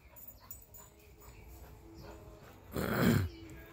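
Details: Whiskey, a husky, on his daily morning run exercise in the backyard; low hum and faint rustling, then a sudden loud, broad, breathy whining burst near the end lasting about half a second.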